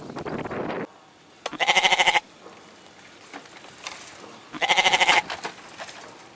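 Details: Goat bleating: two harsh, quavering bleats about three seconds apart, each roughly half a second long with a rapid pulsing tremolo, plus a faint rustle and low murmur between them.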